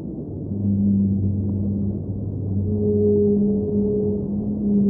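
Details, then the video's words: Whale vocalizing underwater in sustained low, steady tones. A deep hum is joined by a higher held note partway through, over a continuous dull underwater rumble. "Underwater Whale Sounds - Ambient Soundscape | Whale Singing"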